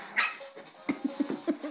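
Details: Chihuahua giving a quick run of short, high, nasal yaps and whines, about six in under a second, after a brief sharper sound, with people talking nearby.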